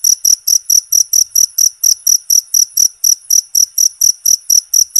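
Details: Loud natural cricket sound for songbird therapy and mastering: sharp, high-pitched chirps about two per second, each with a faint low click, evenly paced over a quiet background.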